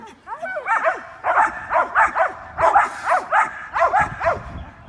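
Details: Several domestic dogs, a little dog and bigger dogs, barking at a squirrel in the morning; a rapid run of sharp, harmonic barks, about ten in quick succession, with a person speaking briefly.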